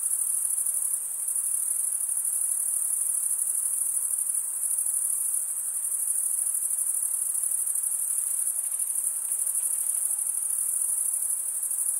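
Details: Unbroken shrill cricket chorus, a constant high buzzing trill from stridulating males, steady in loudness throughout with light hiss underneath.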